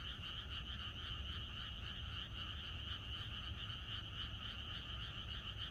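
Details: Rural frog chorus the night before rain, many frogs calling at once in a continuous, throbbing trill with two stacked bands, one mid and one high, steady in loudness throughout.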